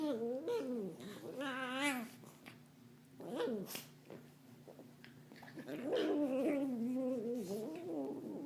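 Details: Domestic dog making odd cat-like noises while another dog looks at her; wavering, mewing calls rising and falling in bursts, with a second run near the end and faint music in the room.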